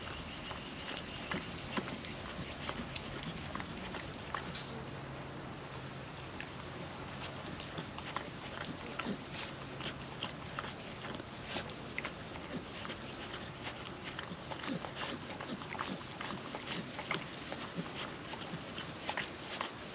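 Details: Female puppy eating wet food off a food trapper mat outdoors on a windy day, giving irregular sharp licks, chomps and mouth clicks over constant wind noise, with a low hum in the middle.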